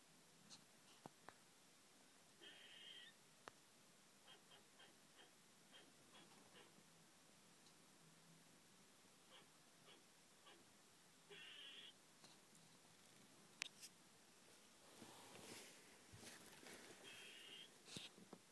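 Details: A squirrel on a second-floor French balcony gives a few harsh, raspy barks, spaced several seconds apart, amid faint clicks and tapping on the window.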